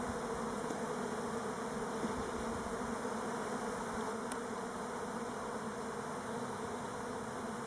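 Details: Many Elgon Buckfast honey bees circling on orientation flights near Stockholm, on Timrarö, Sweden, not a swarm; a constant low, rich humming drone with one brief sharp click midway.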